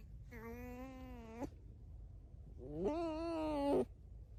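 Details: Red fox kept as a house pet making two drawn-out, strained whines, each about a second long with a sharp upturn at the close, separated by a quiet pause.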